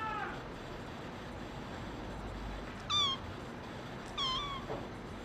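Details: Male brown tabby-and-white cat mewing twice, high-pitched and short, about a second apart, each call bending downward, over a quiet background.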